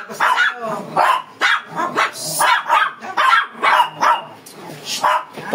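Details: Fierce Shih Tzu dog barking while being groomed: sharp, loud barks repeated about twice a second in steady bursts, with a person's voice talking in Filipino in the background.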